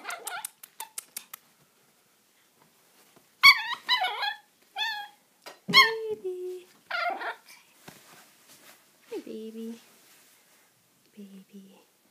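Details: Puppy named Holly, a female pet dog indoors, giving bursts of high, squeaky, harmonic yelps and short chirping squeals in clusters, with a person talking softly to her between and after the calls.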